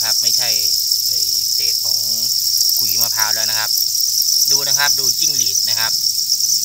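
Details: Crickets raised on a cricket farm, a dense, continuous high-pitched chorus that never pauses, with a person speaking loudly over it throughout.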